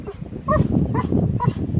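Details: Old English Sheepdog on a beach walk in Southern California at Christmas time, a Golden Retriever named Benny nearby; three short tonal whimpering yips in quick succession over low, rumbling outdoor background noise.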